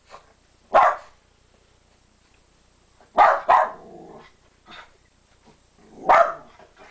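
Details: A female West Highland White Terrier gives sharp, high barks, some in quick doubles, spaced a few seconds apart, while looking out a window at dogs playing outside.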